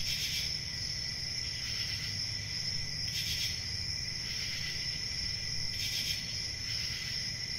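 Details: Crickets chirping in a dense chorus: a steady high shrill trill with a second lower band, swelling into louder pulsed bursts about every two to three seconds over a faint low rumble.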